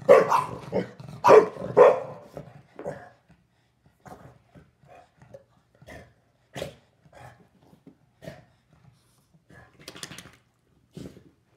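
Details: Shar Pei and Boston Terrier roughhousing after their evening meal: a quick burst of three loud barks opens, then scattered short huffs, clicks and soft grunts from the tussle fill the rest.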